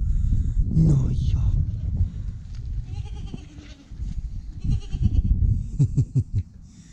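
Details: Newborn goat kid, the first of the year, giving a short, wavering, nasal bleat near the one-second mark, followed by low rumbling handling noise, rustling and a few sharp knocks.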